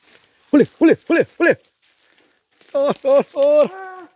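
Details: Dogs driving out a wild boar: four sharp barks about one every third of a second, a pause, then three tonal yelps stretching into a longer drawn-out howling bay.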